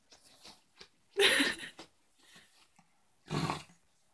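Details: Ronnie, a pet Yorkshire terrier, playing with his pillow in his bed indoors; two short, forceful, noisy snorts about two seconds apart, with faint scuffling sounds between them.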